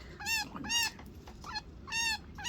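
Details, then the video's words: Baby chinchilla crying, kept indoors: loud harmonic wails with slightly falling pitch, about four to five separate cries in under three seconds, each roughly a quarter second long, with quiet gaps between. "chinchilla baby crying sounds noises"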